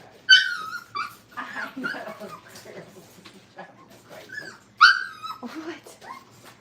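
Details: Brittany puppies, five weeks old and in crate training, give sharp high yelps followed by falling, wavering whines. Two louder outbursts stand out amid softer whimpering and scuffling.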